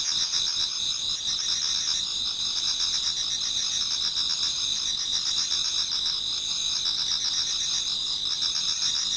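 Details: Many autumn insects singing in a Japanese garden towards dawn: a dense, continuous high chorus of steady trilling bands with fast pulsing chirps layered over it, no other clear sounds.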